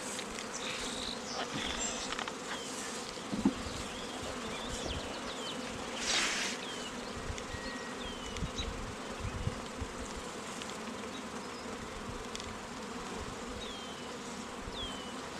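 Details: Honey bees at an apiary where queens are raised, around queen cells: a steady dense hum of many bees fills the clip, with thin whistled bird calls overhead and brief bursts of handling noise.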